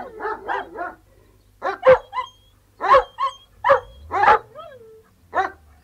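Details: Three Alsatian guard dogs outside: a quick triple bark, then deep, forceful single barks spaced about half a second apart, one followed by a short rising-falling whine.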